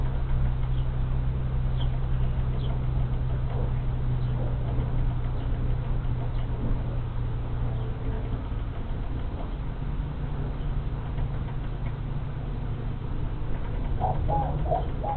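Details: A large swarm of honey bees settling into a vacant hive on March 24, 2023. A continuous deep hum drones throughout, with scattered faint bird chirps above.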